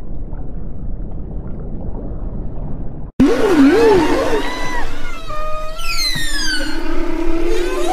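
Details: Following three seconds of low rumble and a sharp cut, whale vocalizations begin: a wavering, warbling low tone, then a run of sweeping whistles and descending squeals layered over a steady drone.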